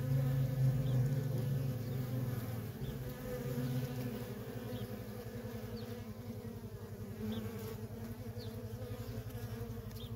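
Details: Steady hum of worker honey bees at a feral colony with nonstop traffic. Droning bands hold throughout, over a heavy low rumble early on that gives way to a fluttering pulse.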